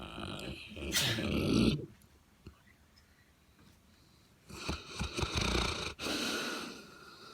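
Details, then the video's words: Bessy, a sleeping St. Bernard, snores in two rough, breathy bursts about three seconds apart, each lasting around a second with a raspy low rumble, separated by near silence. "St. Bernard snoring"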